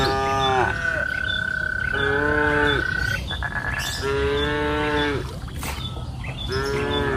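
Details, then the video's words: Cows mooing on a lush pasture hill on an afternoon. Three or four nasal, harmonic moos of about a second each, with a long steady high-pitched tone running underneath for a few seconds. "Sound of cows mooing up the green pasture hill in the afternoon"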